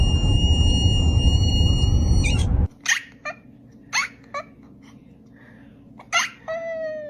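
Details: Cat; meow; asking for food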